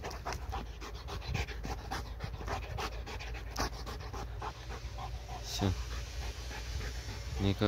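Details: Tired pet dog that cannot catch a laser pointer spot pants in quick breathy pulses; a person's voice joins near the end over low room hum.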